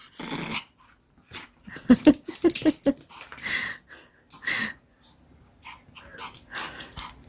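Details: Indoor ball play with a pet dog: a burst of rapid, harsh growling pulses in the middle, surrounded by a woman's chatter and scuffling sounds of play.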